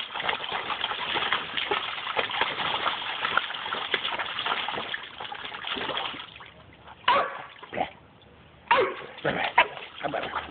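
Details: Staffordshire bull terrier Dudley, an adolescent just under 11 months, mucks about in his pool. About six seconds of churning splashes give way to a cluster of abrupt barks, separated by short quiet gaps and more splashing.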